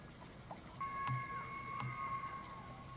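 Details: Rutting elk at Slippery Ann Elk Viewing Area, Charles M. Russell National Wildlife Refuge, Montana, evening of 24 September 2024; a long high whistled bugle holds steady with a brief upper overtone, over low steady rumble.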